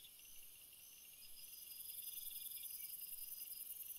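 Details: High sizzling cricket trills layered with softer repeated chirps, the chorus growing gradually louder across the few seconds.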